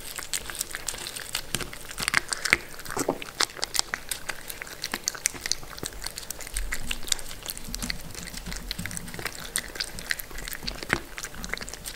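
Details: Steady crunching and biting of food in a small room, with wet liquid sounds; no animal calls.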